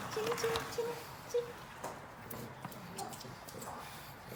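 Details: Pug indoors during a treat-eating session gives a thin, high whine in short steady-pitched pieces over the first second and a half, then quieter rustling and faint background voices in a small room.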